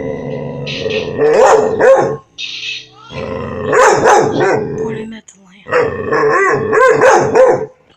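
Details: Five-month-old puppy dog barking in bursts, sharp harsh yapping barks grouped in three rapid runs separated by short pauses, with a person's voice between them.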